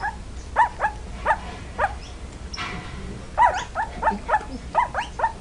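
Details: Puppies giving a run of short, high yaps in two bursts, with a brief soft rustle in the pause between them.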